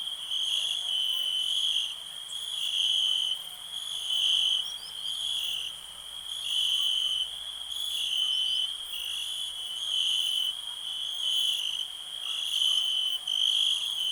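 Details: Crickets trilling in a relaxing night-style ambience: a continuous shrill ringing that swells and fades every couple of seconds, with no other sounds.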